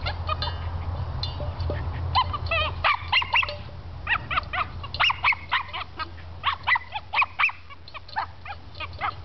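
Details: Cairn Terrier named Hobbes playing with his water pan, letting out quick repeated yappy barks, about four a second in irregular runs, after an opening stretch of low rumble and faint clatter.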